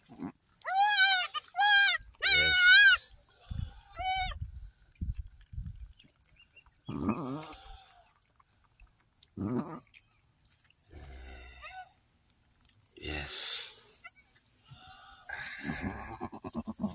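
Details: Goat at a farm kidding, delivering three female kids: three loud, quavering bleats in quick succession, each about half a second, then scattered quieter rustling, low voices and faint background noise.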